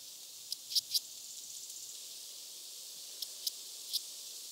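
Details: Red band-winged grasshopper, Mörnsheim, Germany, 14 July 2023: paired dry clicks early, then a few scattered single ticks, over a steady hiss of background noise.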